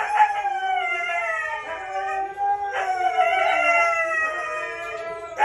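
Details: Red-brown Siberian Husky howling around breeding; two long, steady howls with rich harmonics, the pitch sliding gently downward then holding, with a short break near the middle.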